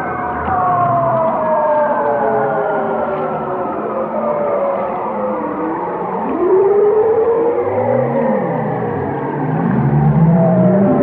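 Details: Whale singing slow descending moans, then a sharp upward swoop into a sustained tone near the middle. Finishes with a rising whine and deep, pulsing grunts beneath.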